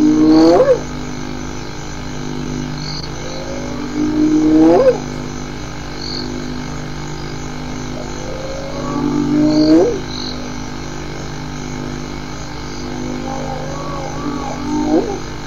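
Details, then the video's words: Hyena vocalizations: a series of rising whoops, four clear ones roughly every four to five seconds, each sweeping upward with rich overtones, then fainter upswept calls near the end over steady background hum. "Hyenas some vocalizations collection 1"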